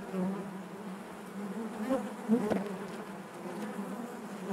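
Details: Many honey bees humming inside their hive, a constant low drone with a short louder burst of buzzing and a faint click midway.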